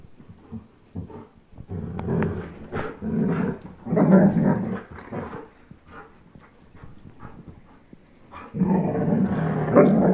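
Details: Chase the German Shepherd, 10.5 months old, and Blizzard the Old English Sheepdog, one year old, at tug of war together; rough, low growls come in uneven bursts, louder near the middle and again at the end, with brief quiet gaps.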